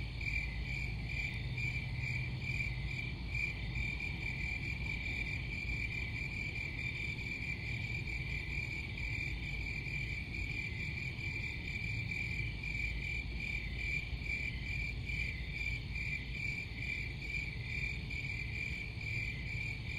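Crickets chirp in a steady, high, pulsing chorus that carries on without a break.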